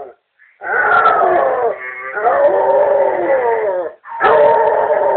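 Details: A Basset Hound howls in drawn-out, quavering, deep, rich notes that sag in pitch, with brief pauses between howls, set off by hearing a family member's voice on an answering machine.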